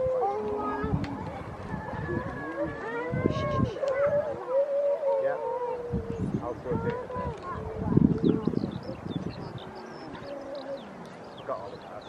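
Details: Wild grey seals at Donna Nook, Lincolnshire, on 5 November 2018, early in the pupping and mating season; several overlapping, drawn-out, howling wails that bend up and down, mixed with bursts of voices and low rumbling.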